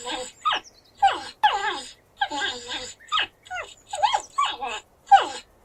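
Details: Porcupine, 8D recording, giving grunts: close, nasal, squealing bursts that swoop in pitch. They come in quick succession, roughly six in under six seconds, against a quiet background.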